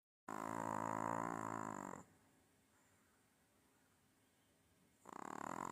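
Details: Pet dog snoring while lying on its owner, one long rasping harmonic snore lasting nearly two seconds, a quiet pause, then the next snore starting; steady high hiss in the room throughout.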